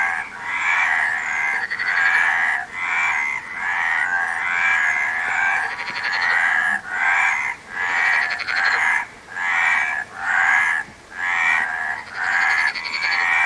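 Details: A rhythmic chorus of many frogs. Harsh, buzzy croaks repeat in quick bursts about every second and briefly drop out between, with scattered higher clicks and rattles over the top.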